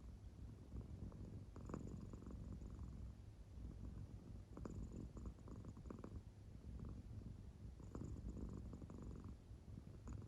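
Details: Sleeping house cat, an American Shorthair, gives a low, muffled purr-snore; gentle rhythmic breathing swells roughly every two seconds over a steady rumble.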